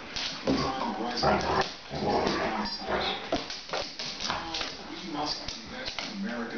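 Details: Coco, a 50 lb female pit bull, plays with Tank, a 200 lb male mastiff, on slick laminate flooring; throaty growls and snuffling grunts in uneven bursts mixed with scrabbling paws and a person's voice.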